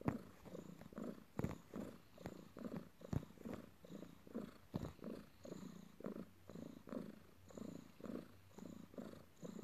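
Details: Pet cat kneading, or making biscuits on, its owner after work, purring continuously. Soft, throaty rumble pulsing in regular breaths roughly twice per second, with faint rustling indoors.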